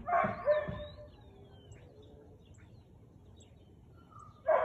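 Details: Siberian Husky barking on 13 March 2021 at 4:17 pm: a pair of sharp, harmonic barks opens, then a quiet gap with faint background noise before one more loud bark at the end.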